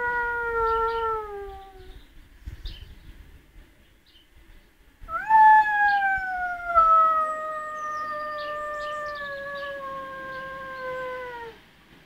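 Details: Howling pet lurcher, described as a soft long dog: a falling howl fades out, a pause of about three seconds follows, then a strong new howl leaps up and glides slowly downward for roughly six seconds before stopping.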